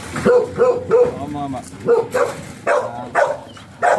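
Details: At a stud (mating) session in Sta. Barbara, Pangasinan, a golden retriever gives clipped barks, roughly three or four per second in short runs, mixed with human voices between them.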